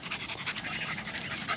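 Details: Panting from one of two pet dogs, Madigan and Bailey, one a springer spaniel, out running through fields: rapid rhythmic huffs, about four or five a second, bright and breathy, with rustling underneath.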